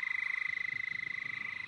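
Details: At least three head-started male endangered Houston toads give a steady, high, fast-pulsed mating trill together after release, at night in breeding season at a research pond in Bastrop County, Texas.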